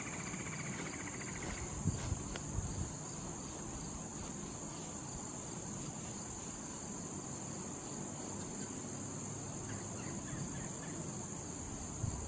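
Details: Cricket calling in late summer near blooming wild thistle: a continuous thin, high trill runs throughout over a heavier low rumble, with a few soft clicks and taps early on.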